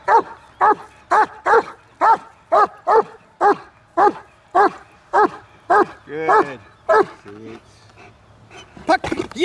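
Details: German Shepherd from Kraftwerk K9 barking on and off on command; a rapid run of about fifteen sharp barks roughly two per second, then a lower drawn-out bark and a pause before a few final barks.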